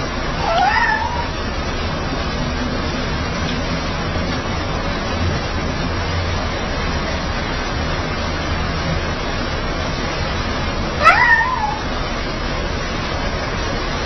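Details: Fluffy pet cat coaxing and wheedling as if apologising: a short rising-falling meow near the start, then a long pause of steady low background hum before a second, slightly louder meow around eleven seconds.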